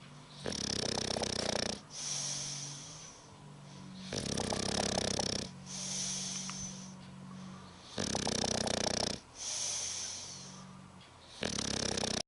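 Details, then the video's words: Spike, an English bulldog, snores while asleep: harsh, rasping snore bursts of over a second each come roughly every three to four seconds, with softer, lower wheezy breathing between them. "Spike beim Schnarchen"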